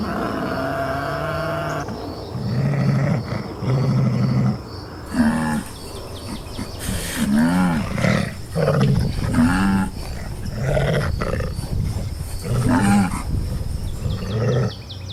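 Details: Wild African lions roaring and charging at hyenas to keep order and defend a carcass: a run of deep, rough growling roars in short, rapid bursts, some rising then falling, with a steady high-pitched tone throughout.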